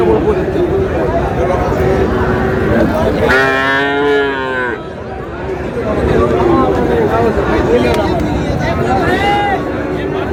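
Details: Market moo from Friesian and cross-breed bull calves at Raniganj haat, Dinajpur, on 30 July: one loud, full-throated bellow of about a second and a half stands out mid-clip, with softer lowing and dense human chatter around it.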